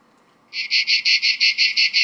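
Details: A cicada's loud, harsh summer buzzing song, broken into rapid pulses about seven or eight times a second.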